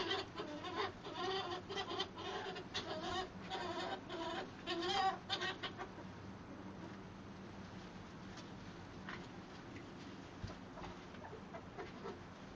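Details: Dollar, a young hob ferret meeting older hobs and jills in a shed before winter, after giving female ferrets a hard time; rapid repeated harmonic squeals for six seconds, then quieter rustling and scattered clicks.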